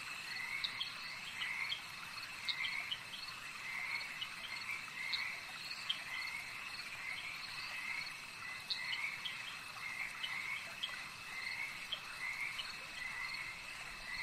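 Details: Lakeside frog chorus: many callers give quick grating croaks in clustered runs, rising and falling in waves, backed by a constant shrill insect drone and faint sharp clicks.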